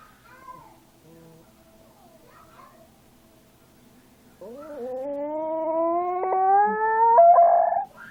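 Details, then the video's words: Small young dog howling: after a quiet start, a loud drawn-out tonal howl rises steadily in pitch for about three seconds, rich in harmonics, ending in a brief strained peak. "Ittybitty howling"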